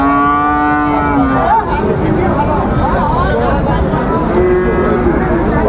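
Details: Flekvieh bull calf giving a long flat moo lasting over a second, then quieter wavering lows, with Bengali speech and a busy outdoor background.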